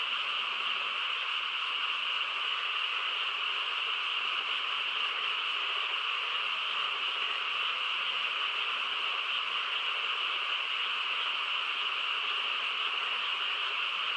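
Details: Night-time frog chorus in quiet countryside, heard as a thick, constant layered droning that holds at the same loudness throughout, individual croaks lost in the mass.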